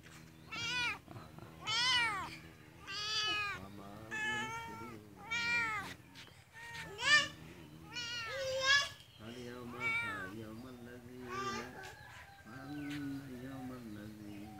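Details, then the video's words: A cat meowing repeatedly, about a dozen drawn-out, rising-and-falling meows in quick succession, with a person's voice mixed in among them. "cat animals sound videos"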